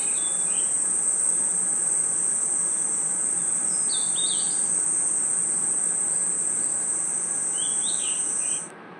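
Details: At night in a forest, crickets give a dense, unbroken high trill at one steady pitch, with softer brief chirps from other insects coming and going beneath it before the chorus cuts off near the end.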